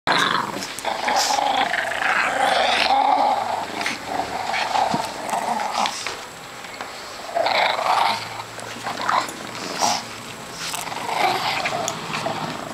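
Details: Pug puppies playing tug of war indoors, growling roughly in a sustained, noisy, mid-pitched rumble during struggles in the first five seconds and again from about seven to eleven seconds, with scuffling clicks and brief high squeaks between.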